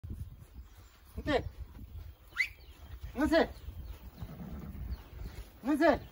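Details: Fillies and colts of Quarter Horse and Appaloosa lines, born 2018 and 2019, on a ranch being called to a creep feeder for supplemental feeding; three rising-falling harmonic whinnies about two seconds apart, with low rumbling background and faint voices.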